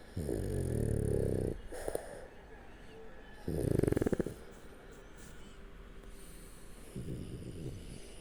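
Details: French Bulldog Shturm asleep on its back indoors, giving repeated guttural snores: a long rumbling one, a shorter sputtering one two seconds later, then a fainter snore near the end.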